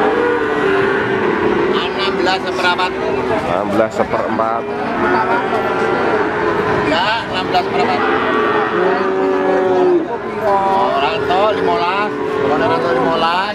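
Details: Several long, sonorous moos overlap and follow one another from adult feeder cattle at Pati's Wagenan cattle market, Indonesia, 5 March 2019, amid constant voices of a busy crowd and occasional vehicle sounds.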